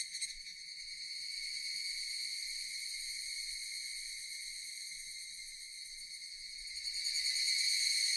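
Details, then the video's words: Japanese cicadas in a sustained high buzzing drone, fairly even throughout and rising in loudness during the final seconds. "Japanese cicadas Sound effect"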